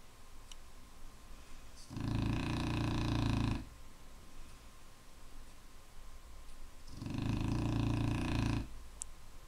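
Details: A Clumber Spaniel snores heavily, giving two drawn-out, harsh vibrating inhalations about five seconds apart, each nearly two seconds long, with soft breathing and a faint hum between them.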